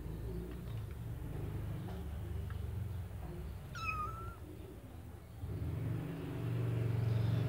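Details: Kittens in a white bucket: one short, high meow with a slight rise then a level tail, heard once over steady low rumbling background noise.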